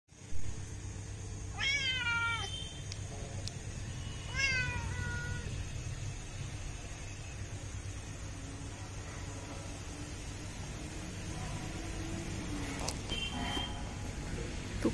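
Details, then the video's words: Domestic cat calling at feeding time, giving two clear falling meows with stacked harmonics near 1.5 and 4.5 seconds, then quiet; a steady low hum runs throughout, with faint clatter later on. "cat food time"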